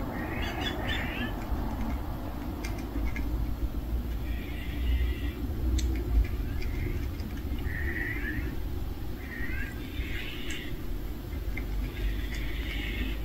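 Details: A family of cats gathered around a meal, giving a run of short, high mews, each about half a second to a second long, spaced a second or two apart over steady low background rumble and a few faint chirps.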